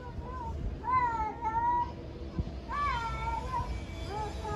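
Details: Stray cats in Istanbul meowing loudly at each other in a territorial challenge, several separate wavering, drawn-out meows of varying length, one rising then falling, with low traffic-like rumble beneath.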